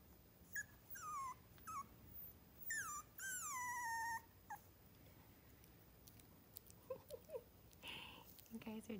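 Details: Whining from three-week-old mini schnauzer pups in Saskatchewan: short high squeaks, then two longer drawn-out whines falling steadily in pitch, followed by soft clicks and rustling as the litter settles.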